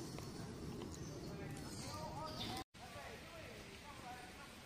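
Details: Wild baby macaque crying loudly after being bullied by its mother: wavering, tonal, mid-pitched wails in short bent phrases over steady outdoor background noise.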